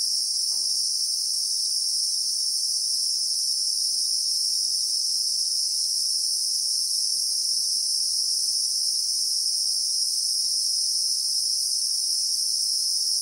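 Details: Christmas beetle (Anoplognathus), South African bushveld, real-time sound: a continuous, even, very high buzzing hum in stacked bands over thirteen seconds, with almost nothing else audible beneath it.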